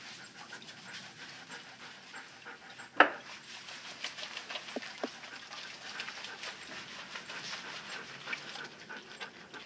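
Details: Standard poodle, wet and being scrubbed with a Chubbs Bar shampoo during a bath, panting in steady soft breathy bursts; one sharp click near the start and small taps of handling and water sounds around it.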